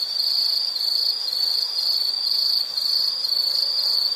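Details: An insect trills steadily in a nature setting: a shrill high-pitched buzz broken into short pulsing bursts about twice a second.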